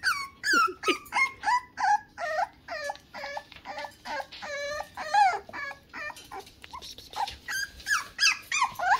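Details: Mad six-week-old Toy Poodle puppies whine continuously in a quick series of high, wavering yelps, each rising then dropping, around three per second with little pause between them.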